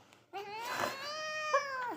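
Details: A cute cat gives a long, plaintive meow that rises slightly and then holds steady before dropping away. A brief rustle or voice overlaps near the start.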